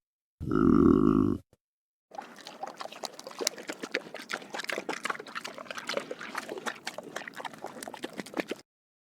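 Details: Pig drinking water: one loud deep grunt at the start, then after a short pause a long run of rapid wet slurping and lapping clicks, about four per second, continuing for over six seconds.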